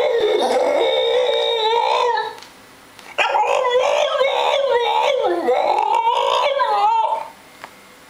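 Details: Seven-month-old French Bulldog Nikos voices his displeasure over treats in two long, warbling howl-like moans, each bending up and down in pitch, separated by a short pause indoors.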